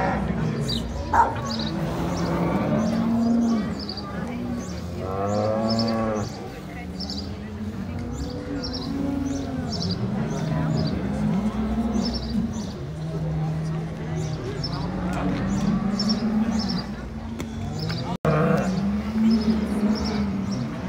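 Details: Brown Swiss cows at the combined Appenzell cattle show, jubilee Saturday 2022; many overlapping low moos, a few with rich layered overtones, against constant clanking bells and people talking.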